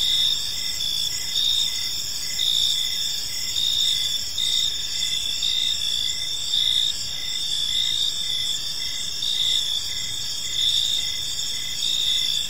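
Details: Evening park ambience of many crickets, a shrill layered trilling with rhythmic pulses rising and falling about every second, steady and unbroken, with a soft low rumble underneath.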